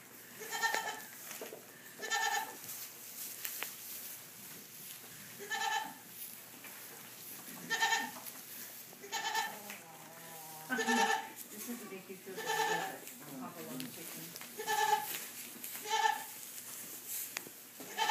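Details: Young fainting goat kids (Capra hircus) in a barn bleat repeatedly, their wavering, nasal cries overlapping at irregular intervals.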